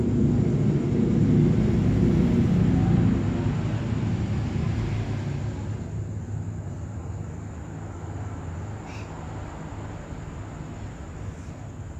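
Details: Steady low rumble like a passing vehicle or aircraft, loudest in the first three seconds and then easing off, with a faint constant high whine and no animal voices.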